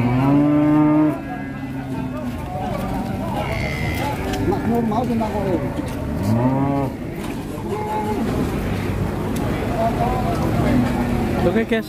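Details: Female cow on a rampage lets out a strong, deep moo at the start, followed by fainter wavering calls and a busy mix of voices and barn sounds.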